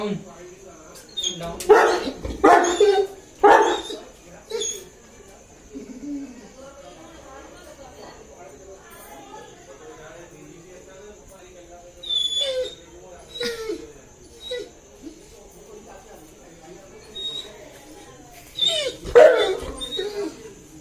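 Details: A 2.5-year-old male Saint Bernard waits eagerly for his owner to arrive. He gives odd whining, moaning vocalizations with a few short barks, spaced by quiet gaps.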